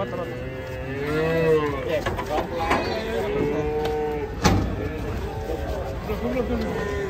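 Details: Agitated cattle being unloaded from a truck, frightening onlookers: long, drawn-out moos with bending pitch, one swelling then falling, another lower and shorter later, amid men talking nearby and a sharp knock midway.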